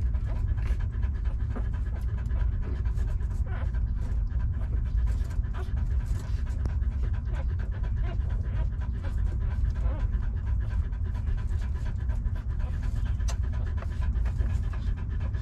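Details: Puppies suckling milk from their mother, giving a dense, steady run of soft wet smacks and rapid panting-like breaths with no pauses, heavy low rumble throughout.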